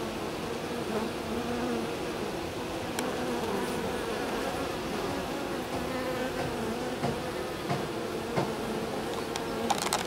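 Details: Continuous low, even drone of a honey bee colony in swarming fever at the hive entrance, where a bee dances to signal a direction; the hum holds steady throughout, with faint wavering tones and occasional soft clicks.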